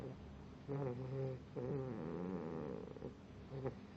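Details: A sleeping pit bull puppy snores in low, buzzy, tonal breaths that bend slightly in pitch. A short snore is followed by a longer one of about a second and a half, then a brief catch at the end.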